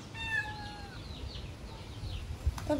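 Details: Stray kitten in Paraguay, grown chatty and complaining, gives one clear level meow followed by fainter, wavering mews while someone nearby encourages it to eat; a sharp click near the end.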